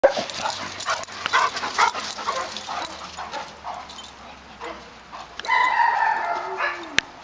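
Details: Black Labrador Retriever pup, eight months old, playing with a Yellow Lab that tries to tell him off. A scuffle of bumps and rustling gives way to a rising, drawn-out whine near the end.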